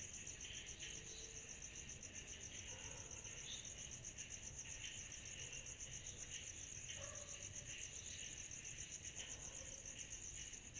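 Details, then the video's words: Cicadas fill a summer night with a continuous high pulsing trill and lower buzzing band, joined by scattered faint short calls at lower pitch, possibly other animals, across the recording. "Summer Night Cicadas Sound Effect"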